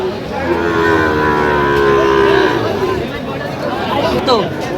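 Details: Sahiwal bull calves at a cattle market in Dhaka, Bangladesh, 9 September: a drawn-out, harmonic moo lasting about two seconds, steady then fading, with bargaining voices, crowd chatter and a final short vocal burst.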